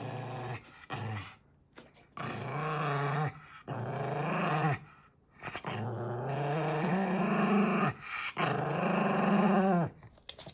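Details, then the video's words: Ill-tempered Maltese dog growling repeatedly, a series of long, low, grumbling growls of one to two seconds each, some rising into a whinier edge, with short pauses between bursts. "말티즈 승질 제대로 보여줌"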